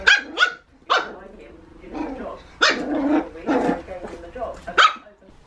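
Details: Border terrier puppy, a female between eight and twelve weeks old, kept as a pet at home, giving several short sharp barks and yips mixed with a few gruff growly sounds, alongside people talking.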